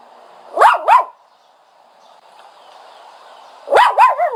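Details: Dog whining with a pair of high yelps, a quiet gap, then another cluster of yelps trailing into a brief wavering whine.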